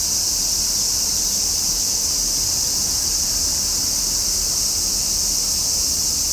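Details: The summer cicada song forms a thick, constant, high sizzling buzz, steady in loudness from start to finish.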